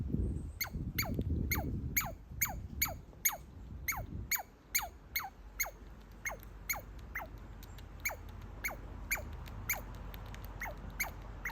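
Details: Baby squirrel, happy to see its feeder and chewing on a walnut, gives a rapid series of high downward-sweeping squeaks about twice a second, softening toward the end; brief rustling and handling noise at the start.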